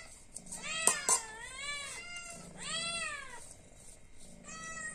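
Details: Meowing cat, hungry and asking for food, gives long arched cries one after another, with two loud clicks early on and a soft hum underneath.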